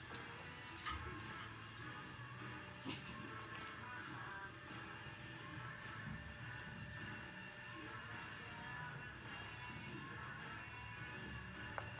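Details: Faint television-like music and indistinct room noise run throughout with a few soft knocks, and no animal voice stands out.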